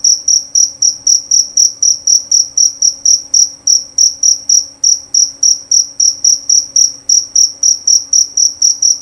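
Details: Male jerabang cricket with a clear, piercing chirp repeated roughly four times each second in an unbroken, even series over a faint steady background hum.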